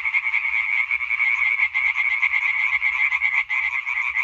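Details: European tree frog chorus, a singing concert recorded on 20 May 2023: dense, continuous rapid croaking in overlapping pulses centred high, with one brief dip near three and a half seconds, no other clear sounds.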